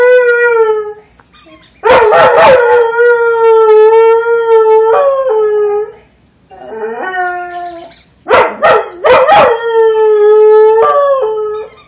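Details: Rhodesian Ridgeback singing in long, steady howls of even pitch. Each is broken by sharp, noisy yelps near two and eight and a half seconds, with a short lower-pitched howl between them.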